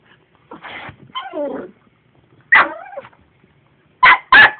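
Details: Domestic dog reacting to a vacuum cleaner it dislikes: a rough bark, then a drawn-out falling whine, another bark with a whine, and two quick loud barks close together at the end.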